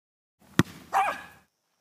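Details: Jack Russell Terrier playing soccer gives a short, sharp bark after a sudden thump, then a single harmonic yelp that rises and falls, with quiet background.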